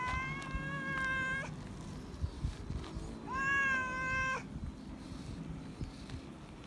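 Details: Feral cat calling loudly for attention and love: two clear, drawn-out tonal meows about two seconds apart, the second rising then level, over faint background hiss and soft clicks.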